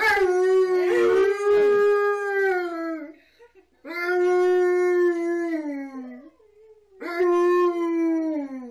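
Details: Siberian Huskies Tonka and Monroe singing together with K'eyush The Stunt Dog: overlapping long, wavering howls, each sustained about three seconds with falling ends, several dogs layered, in three separate bouts.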